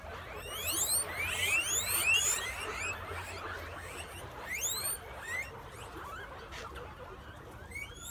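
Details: Guinea pig giving rapid high, whistled squeals that sweep sharply upward, packed in a dense burst early on, then spaced and fading into sparse single rising notes.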